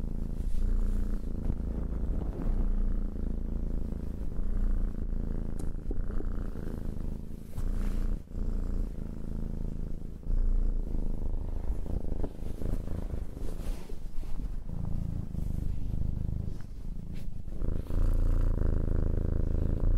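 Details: Domestic cat purring: a continuous low rumbling drone with steady pulsing, brief dips in loudness as breaths change, close and intimate, no other clear sounds.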